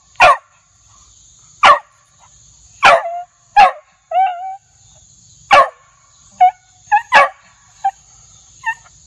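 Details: Loud, aggressive Beagle barks: sharp single barks spaced a second or so apart, interspersed with short yelps and squealing cries, over a faint continuous high-pitched tone.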